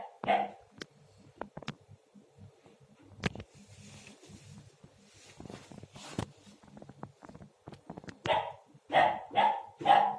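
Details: Young Akbash puppy barking while playing with and knocking over its water bowl, having only started to bark in the last day or two; one sharp yap at the start, then a quick run of four high barks near the end, with clattering knocks and soft speech between.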